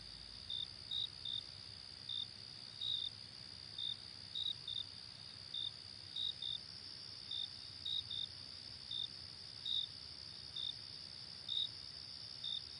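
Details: Crickets chirping: a steady, shrill high trill runs throughout, overlaid by short, bright chirps that come unevenly, sometimes in quick pairs, roughly two to three per second. No other sounds are heard.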